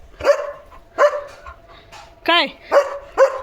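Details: German Shepherd dog barking to alert its owner that another dog has come outside: loud, sharp barks spaced unevenly, with a drawn-out whining, tonal sound in between and a person's voice nearby.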